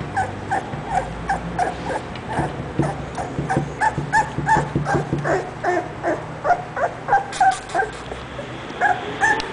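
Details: English Bulldog making a long run of rapid whimpers and yips, several per second, some thin and tonal, others short and clicky, with soft handling noise behind.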